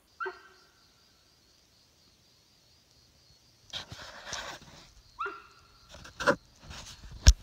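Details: A young sambar deer calling near a camp after dark, giving an unusual honking sound. Two short, sharp, falling honks about five seconds apart, followed by rustling and scattered knocks nearby.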